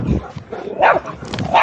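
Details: Dogs squabbling outdoors while an American Staffordshire Terrier named Jena chases a small barking dog; sharp yappy barks in short bursts over low scuffling, with brief calls from people nearby.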